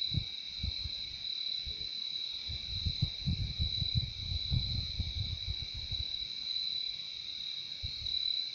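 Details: Steady high cricket trill holds throughout while soft low thumps and rumbling bursts come and go underneath, strongest around the middle of the stretch.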